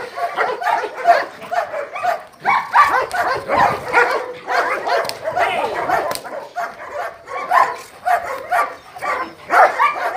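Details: German Shepherd Dog of DDR lines, a 14-month-old from France, in protection training: bite, grip-fixing and jute-rag-to-sleeve exercise. Rapid, continuous harsh barks run throughout, with short gaps and overlapping bursts.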